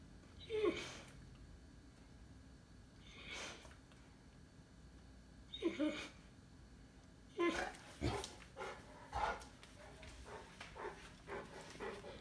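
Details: Loki, a Cane Corso dog, barks while looking for a toy he has chewed to pieces. Several sharp, loud barks come a few seconds apart, then a quicker run of shorter, softer barks and whines.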